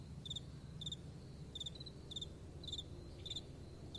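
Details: Night-time cricket calling, with crisp bright chirps spaced a little over half a second apart. A soft, low wind murmur sits underneath.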